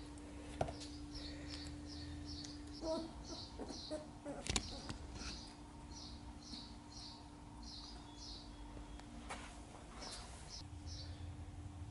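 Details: Sheepadoodle puppies from Coco's litter of nine, seven of them together, recorded 5/7/20: bursts of thin, high squeaks come in quick runs with short pauses, over a steady low hum and a few soft knocks.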